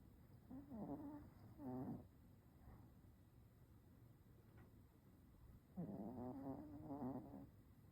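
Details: Small chocolate-and-tan Chihuahua snoring while asleep: two sets of low, wheezy, buzzing breaths with a faint whistled edge, separated by several seconds of quiet room hiss.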